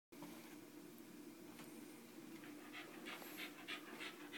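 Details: West Highland White Terrier, a pet dog, panting indoors: rapid, breathy, airy pants of fairly steady rhythm, roughly three per second, with a constant low background hum.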